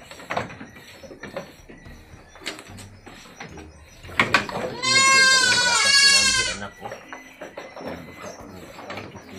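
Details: Anglo-Nubian goat on a goat farm at milking time: amid clattering, knocks and human voices, a long wavering, quavering bleat rises loud for about two seconds before the farm noises resume.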